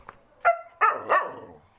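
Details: A pet Bhotia (Baan Gaddi) dog gives three deep, rough barks in quick succession.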